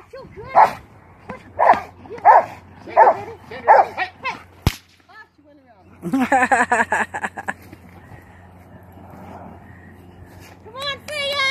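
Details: Rottweiler during protection training: a run of five loud, harsh barks roughly every 0.7 seconds, then a sharp whip-like crack, followed by a burst of rapid barking mixed with a person's voice and more barks near the end.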